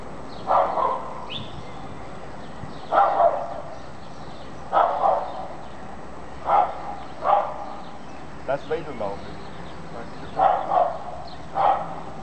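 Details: Small Welsh Terrier pulling its trailer: short, sharp barks, about eight in twelve seconds at irregular spacing, with a person's voice heard in the background.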